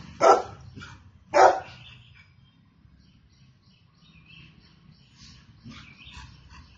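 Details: Golden Retriever gives two strong, abrupt barks about a second apart near the start, followed by several seconds of quiet with faint scattered background noises.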